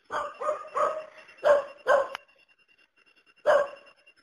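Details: Dog giving five quick, somewhat yelping barks in a row, a short gap with a faint steady tone, then one final loud bark; barks sharp-edged with a ringing middle pitch.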